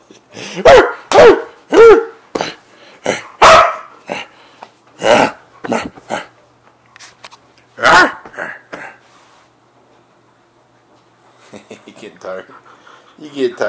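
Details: Siberian Husky racing about on a bed in a burst of zoomies barks and yips rapidly and irregularly for about nine seconds, then goes quiet apart from soft rustling and scuffling near the end.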